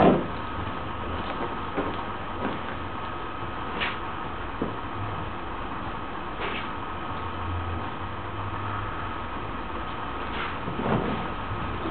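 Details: Indoor room noise with a steady hum and occasional soft knocks and rustles is heard, and no animal voice comes through.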